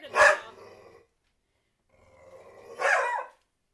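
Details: Barking at the soccer ball she chases, pet dog NuNu lets out a sharp bark trailing into a low growl, then a growl rising into a second longer bark.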